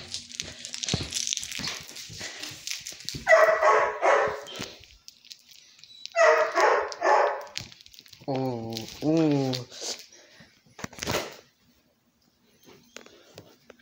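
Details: Bear, a pet dog, at play: two long rough bursts of barking or growling, then a short harmonic whine-like sound and a final sharp burst, with a person talking to him between the sounds.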